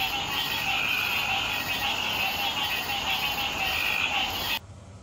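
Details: Night chorus of frogs or toads, a continuous dense wall of high trilling and peeping calls with no pauses, ending abruptly in a quieter background hiss.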